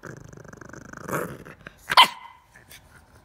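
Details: Pet bulldog playing about indoors: a low, rapidly pulsing growl runs for about a second, then one sharp, loud bark lands near the two-second mark, followed by quieter scuffling.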